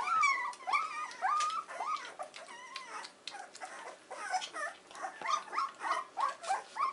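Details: Weimaraner puppies, 14 days old, in a whelping box one morning, giving a run of high whimpering squeals that rise and fall, about two per second, with some overtones and faint rustling between cries.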